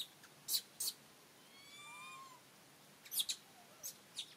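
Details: Monkey call as Rany blocks food from little monkey Aryan; one drawn-out, slightly wavering whimpering note with strong harmonics, framed by sharp clicks and smacking noises.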